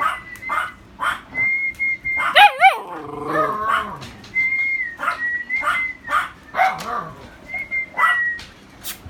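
Alaskan Malamute puppies whine in high, drawn-out tones mixed with short yelps and warbling cries.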